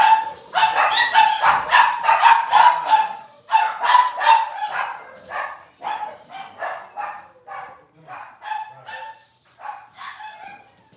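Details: Six-week-old Cavalier King Charles Spaniel puppies in a puppy pen, being dewormed and having toenails trimmed, yip in rapid, repeated high barks, about three a second, then fade into softer, sparser yelps with short pauses.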